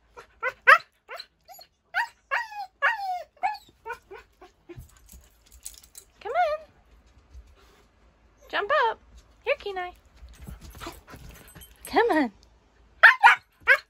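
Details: Kenai, a Siberian Husky puppy, romps with a shih tzu and is encouraged to leap onto a bed; quick strings of high, wavering whimpers and yelps alternate with a person's coaxing voice.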